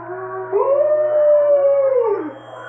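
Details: A female Alaskan Malamute watching wolves on a computer gives one smooth sustained howl lasting about two seconds. It swells in, holds a steady tone, then slides down at the end. Faint wolf howls from the screen are heard beneath.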